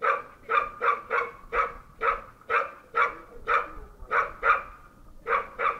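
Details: A Bull Terrier that barks all day gives a steady series of loud, sharp barks, about a dozen in six seconds, evenly spaced with a brief gap near the end.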